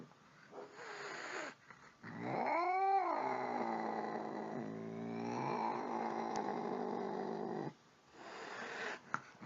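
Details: Angry domestic cat: a short arched wail rises and falls, then a long, steady, low moaning growl runs for several seconds before cutting off, with faint background noise at the end.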